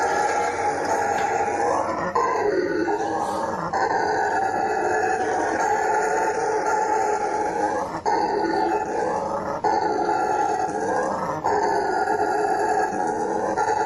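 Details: Howler monkey howling: a loud, continuous, droning roar with rough harmonics, swelling and dipping in pitch every few seconds, with short breaks near two, eight and eleven seconds.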